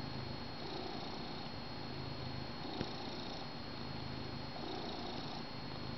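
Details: Finnegan, a pet cat, purring while snuggled on his blanket beside his person on the couch during morning coffee; a steady low rumbling purr with faint room hiss and one small click near the middle.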